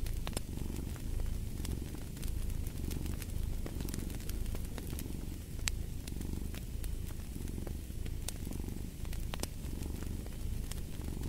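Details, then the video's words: Cat purring in a deep, even rumble that swells in soft rhythmic waves about every second, with frequent fireplace crackles and pops on top. "Fall asleep to the Purring of a Cat"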